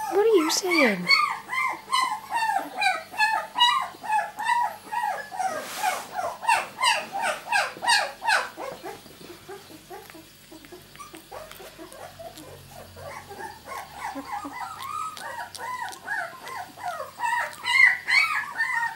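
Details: Litter of miniature Labradoodle puppies at two weeks old, born 31 July 2009, crying in a thick chorus of wavering squeals, with a brief noisy burst midway, a quieter lull, then the yelping swelling again.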